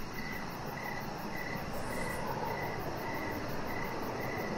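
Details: Crickets in the evening near a deck with a chihuahua puppy, their short high chirps fainter and regularly spaced about every 0.7 seconds, partly masked by louder low background noise and a brief high swish.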